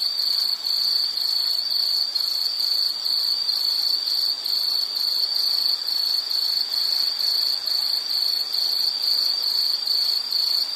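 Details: Relaxing insect sound: rapid rhythmic chirps on a high steady pitch, repeated a little over twice a second, with fainter higher trills layered above and steady background hiss.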